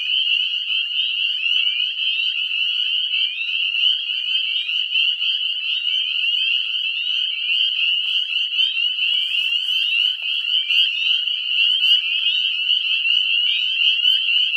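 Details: A deafening chorus of Northern spring peepers at a pond at dusk in spring, breeding after leaving hibernation: countless high, piercing peeps overlap into one continuous ringing wall of sound, loud enough to hurt the ears.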